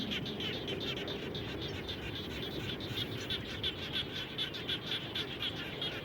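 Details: After rain, frogs around a home keep up fast, repeated high chirping pulses, roughly three or four per second, growing more distinct toward the end, with a continuous hiss and low noise underneath.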